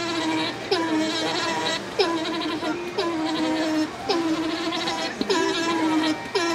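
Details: Alpaca male Tack greeting female Jane after her shearing inside the alpaca house at Tokiwa Zoo, Ube; steady mid-pitched humming calls, each opening with a quick upward flick, repeated roughly once a second, with faint background voices.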